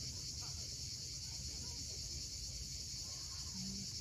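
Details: Cicadas at sunset on the steep coast at Cape Fiolent, Crimea: a steady, dense high-pitched hiss that never pauses, over a low rumble of waves below the cliffs.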